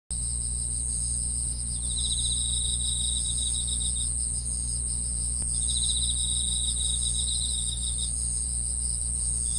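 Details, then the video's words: Chorus of grass insects: a steady, piercing high-pitched whine runs throughout, with bursts of rapid pulsed trilling at a lower pitch that stop and restart every few seconds, over a constant deep hum. "풀벌레 소리"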